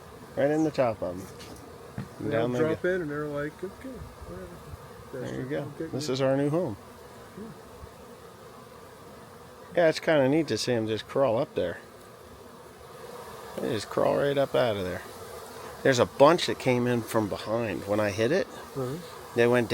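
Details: Honey bee swarm found beside a rain gauge, later collected; a steady low hum of many bees fills the pauses, while people talk loudly in frequent bursts over it.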